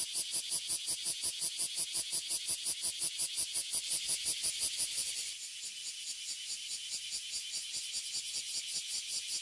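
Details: Oily cicadas and bear cicadas (abura zemi and kuma zemi) fill a tree in Toyohashi City, Japan. A loud, high, shrill buzz pulses rapidly, nearly three beats a second, then softens slightly halfway but keeps throbbing.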